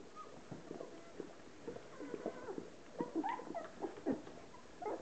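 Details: Relax the Hovawart bitch licking clean her 13 puppies at ten days old; faint rippling whimpers and squeaks mixed with wet licking, busier in the second half.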